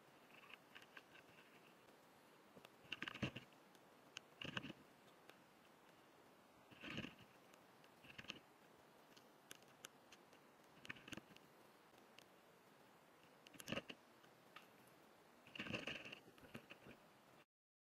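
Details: White-spotted longicorn beetles (Anoplophora malasiaca) mating, recorded close up: dry, scratchy rasps in short bursts every few seconds.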